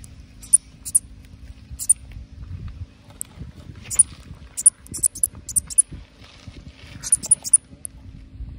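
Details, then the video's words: A Pseudophyllus katydid makes a bird-like sound: sharp, very high ticking chirps, single or in quick clusters of two or three, irregularly spaced, over low rumbling background noise. "Katydid making bird noise."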